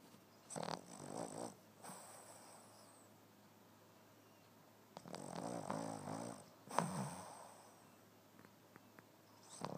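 A Boston Terrier snores loudly, with rough, rattling breaths in uneven bursts.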